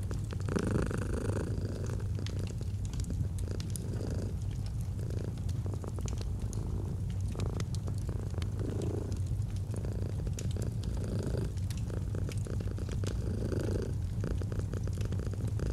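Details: Cat purring without pause, a rhythmic low rumble rising and falling with its breathing roughly every second, alongside faint crackling from a fireplace.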